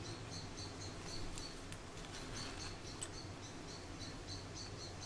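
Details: Faint, evenly spaced high squeaks from Charlie, a baby grey squirrel rescued cold and hungry from a garden after falling from its nest, mixed with a few soft clicks and steady background hum.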